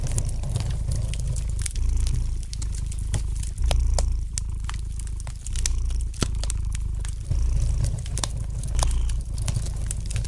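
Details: Domestic cat purring beside a fireplace: a steady low rumble that swells and eases in breathing cycles of roughly one to one and a half seconds, overlaid with sharp, scattered pops and snaps of crackling fire.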